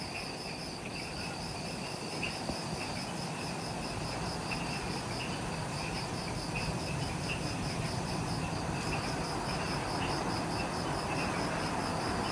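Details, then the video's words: Insects in the Ishigaki Island jungle, Okinawa, Japan, by the Mount Omoto trailhead, just after sunset. A high pulsed chirp repeats about four times a second, joined by scattered lower chirps, over a steady wash of forest noise. "Forest Twilight Sounds – Ishigaki Island | Relaxing Jungle Ambience with Insects"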